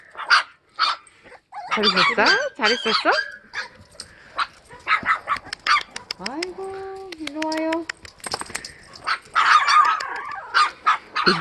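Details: Suri, a Sapsali mother, with her puppies in a foster home after giving birth at Gimje shelter. Choppy barks and yips give way to drawn-out whines with stepped pitch in the middle, then more overlapping barking.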